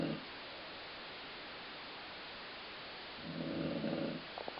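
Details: Dog Colline Ford snoring, with a rumble said to resemble stomach growling. The tail of one low, gravelly snore, a long quiet gap, then a fuller second snore, followed by a few faint clicks.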